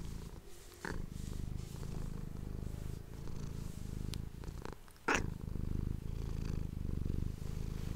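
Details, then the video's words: Domestic cat purring steadily indoors, recorded close on an ASMR microphone; a continuous low rumbling throb fills the clip, with brief rustling clicks near one and five seconds. "ASMR cat purring ❤ Manis die aan het spinnen is"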